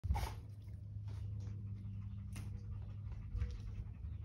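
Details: A male Cardigan Welsh Corgi pants steadily, with soft breathy puffs and a faint whimper, during training to learn to calm himself.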